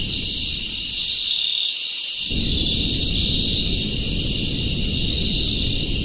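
A dense chorus of crickets fills the air with continuous, high, ringing trills. Beneath it runs a low rumble of background noise that briefly falls away near the start.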